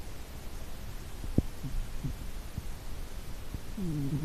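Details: A sleeping cat snoring: a steady low rumble of breathing with scattered brief clicks, ending in a short tonal, wavering sound.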